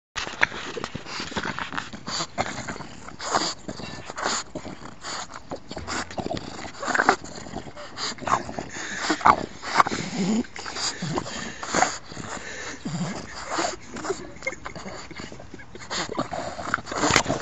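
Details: Billy, a 4-year-old male French Bulldog, aroused and wanting to dominate, snorts, grunts and whimpers in short, breathy bursts.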